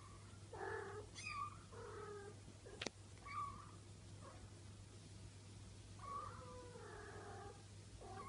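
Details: Four-week-old Bengal kittens, a litter being litter trained indoors, giving a series of short, high, wavering meows in irregular bursts, some overlapping, with a steady low hum and a sharp click in the background.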